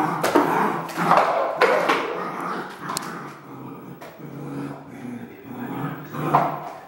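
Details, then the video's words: Red merle Border Collie indoors, short sharp barks at irregular intervals mixed with lower grumbling growl-like sounds between them, in a small room. "BC Red Merle - Barking"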